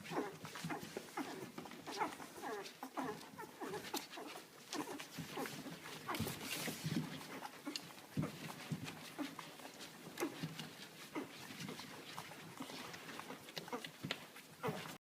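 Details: Two-week-old Canaan Dog puppies from a six-pup litter jostle and compete for a drop of milk, giving busy high whimpers and squeals mixed with low grunts, plus scuffling and rustling throughout.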